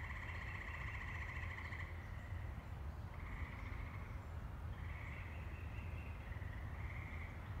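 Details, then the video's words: Tree frog chorus in woods at Saugatuck, Michigan, on May 14, 2018, the year's first heard: long pulsed trills lasting one to two seconds, repeated with overlapping callers, over a steady low rumble. "First Tree Frog Song!"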